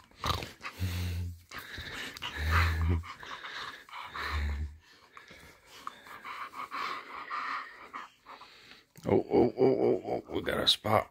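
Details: A female English Bull Terrier, woken up in the morning, gives deep, throaty grumbles and moans, then a burst of higher, happy whining greeting noises.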